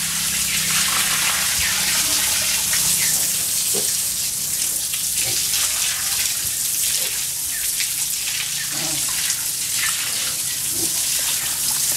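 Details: Water gushing steadily from a tap, with a low hum and faint voices behind, and no animal sound heard.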